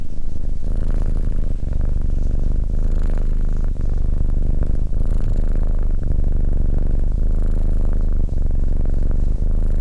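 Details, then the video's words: Close, even cat purr: a deep vibrating hum with a rapid pulsing texture, continuous throughout with only tiny dips between breaths. "Cat Purring"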